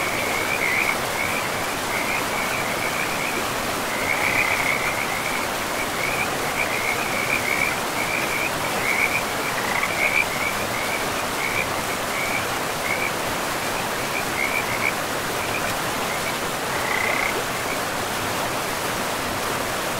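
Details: By a river deep in an untouched, moss-covered forest, frogs give quick, high, rattling croak series in clustered bursts, fading toward the end with one last burst near seventeen seconds; steady water roar underneath throughout.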